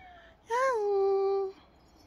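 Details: Single meow from a pet cat described as dog-like. The call lasts about a second, with a short rise at the start and then a long, smooth, gently falling note.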